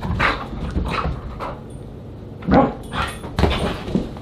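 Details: Siberian Huskies at a dinner party, July 24, 2022: short bursts of whining yips and whimpers, spaced about half a second apart, with louder cries near the end over a low room background.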